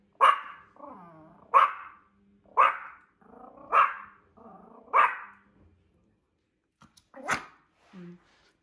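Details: Amon, a small Yorkshire Terrier aged 1 year 8 months and weighing 1.75 kg, barks at another dog in the house. Five sharp high barks come about every 1.2 seconds with low growling rumbles between them, then a pause and one last bark.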